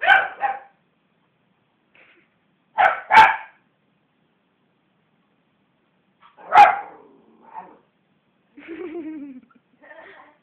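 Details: Westie named Belle, provoked by hands bashing on the sofa, gives a few sharp paired barks spaced several seconds apart, followed by a low rumbling growl and a softer yip.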